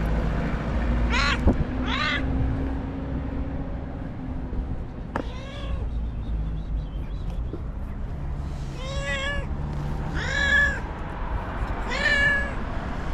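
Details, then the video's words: Angry white domestic cat screaming and lashing out: short harmonic yowls, arched then falling, at about one, two and five seconds, then three more at nine, ten and twelve seconds, over steady low rumbling background noise. "Psycho Cat That Screams and Hits: Angry White Cat"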